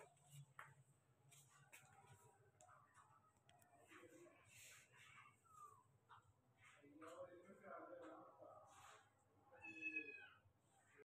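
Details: ['Persian cat meowing in short, high, bending calls scattered through the clip, the clearest a rising-falling cry near the end, with human speech underneath throughout.']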